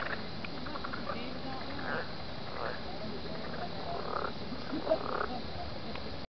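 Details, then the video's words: Frogs at a lake on a warm, full-moon night give short, raspy croaking bursts at uneven intervals over a low background rumble, with a group talking at the end of a dock; unusually noisy. "frog noise.AVI"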